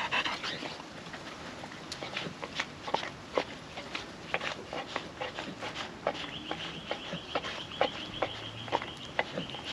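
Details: Puppy dog (she) eating wet food off a food trapper mat, windy day: quick moist licks and clicks in uneven bursts, with a thin steady high tone joining during the final few seconds.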